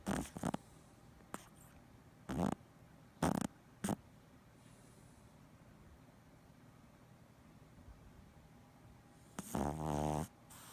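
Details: A Boston Terrier sleeping and twitching: several short snorts and sniffs early on, then a long quiet stretch, ending in one loud rattling snore.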